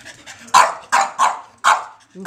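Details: Rocket, a male foster dog, barking indoors: four sharp, loud barks in quick succession after a quiet start, each a broad burst of sound, with a faint human voice in the background.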